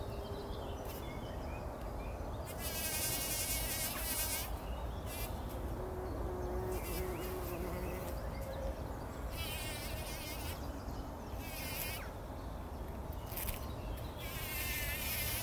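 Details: Bumblebees wallowing in poppy blossoms at dawn before sunrise, 2019; an unbroken low buzzing hum rises and falls slightly in pitch, with repeated bright, quavering high bursts recurring every few seconds.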